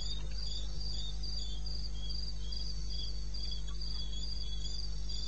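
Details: Crickets calling in the wilderness of eastern Botswana at 2:30 AM on 21 May '16: bright, high chirps pulse about four times a second in a steady, even rhythm, with a fainter lower chirp band and a constant low hum beneath.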